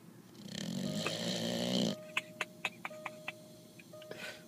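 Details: Mastiff snoring while awake, indoors: a long rasping, rumbling snore lasts about two seconds, followed by a run of sharp clicks and a faint steady tone.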